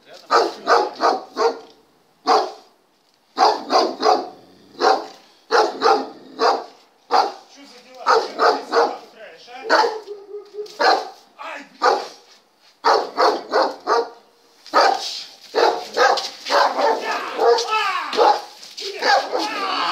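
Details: Long bout of a German Shepherd barking during test number 39, with dense runs of short barks broken by brief pauses, mixed with human speech throughout and a harsher stretch near the end.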